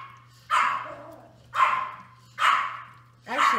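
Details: Five-week-old Toy Australian Shepherd puppies playing, six in the litter; four sharp, loud barks come roughly once per second, each a quick burst that trails off, with a constant low hum underneath.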